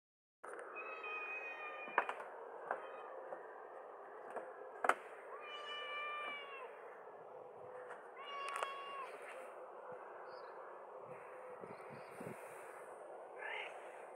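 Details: Domestic cat meowing out loud to get its owner's attention: several drawn-out meows that rise and then fall, spaced a few seconds apart, over a faint background hiss with occasional clicks.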